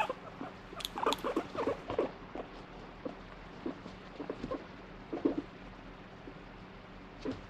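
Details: Domestic guinea pig that seems to want stroking one moment and to be left alone the next makes uneven bursts of short low pulsed notes, denser early on, then sparser isolated chuts.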